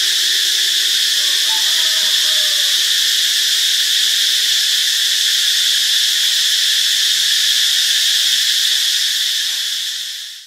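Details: Cicadas in Ubon Ratchathani, Thailand, on Friday, March 26, keep up an even, intense metallic buzzing drone that fades out smoothly at the very end, with a few soft chirps early on.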